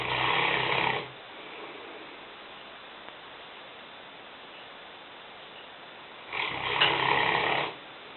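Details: Lena, a five-year-old female Newfoundland weighing 150 pounds, sleeps in a kitchen. Two long, rasping snores, each over a second, are separated by about five seconds of quiet room hiss.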